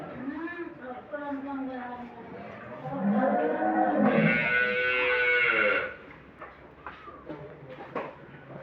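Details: Moos from Holstein Friesian dairy cattle housed in a farm shed in Setabganj, Dinajpur, Bangladesh: several bending, rising and falling lowing calls, mixed with a man's voice and a burst of background music midway.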